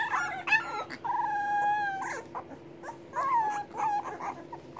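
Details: English Bulldog puppies, hungry and waiting on their mother to feed them, give long drawn-out high whines, one held for nearly a second, between shorter yelps and squeaky cries over a faint steady hum.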